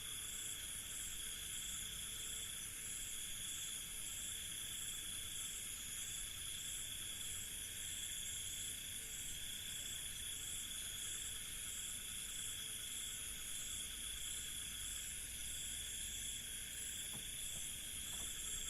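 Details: Crickets filling an Indian village night with a constant high, ringing drone of overlapping trills that never pauses, over a faint low background hum, with a couple of soft clicks near the end.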